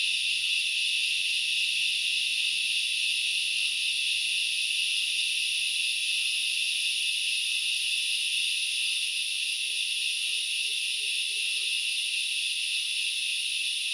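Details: Grasshoppers in forest at Knuckles Reserve, Central Highlands of Sri Lanka: a dense, unbroken shrill buzzing chorus in several stacked high layers, steady in loudness throughout, with faint soft chirps repeating about once a second underneath.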